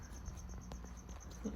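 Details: Pet crickets kept indoors in a terrarium that once housed an anole lizard. They give faint, evenly spaced high chirps in a rapid, steady pulse over a low background hum.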